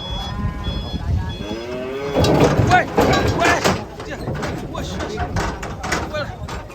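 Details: A cow angry at being sold moos with a short rising bellow. Alarmed people then break into excited shouting, and a high beeping tone repeats at the start.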